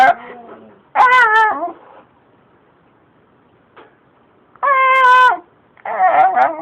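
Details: Shiba Inu named Sakura, talking and pleading as if protesting, desperate for more treats; several drawn-out, wavering, harmonic moan-like calls about a second long, separated by quiet pauses.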